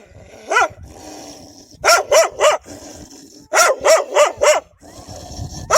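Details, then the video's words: Wild dogs guarding their pups with strong, menacing barking: one lone bark, then two rapid bursts of three to four sharp barks each, separated by a short pause, with faint background rumble. "كلاب برّية تدافع عن صغارها بصوت نباح قوي ومرعب"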